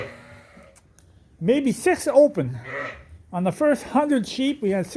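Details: Mixed groups of Suffolk lambs in a barn after a gate was left open: after a quiet start, a burst of overlapping wavering bleats, then a second series of rhythmic, quavering bleats from several lambs calling at once.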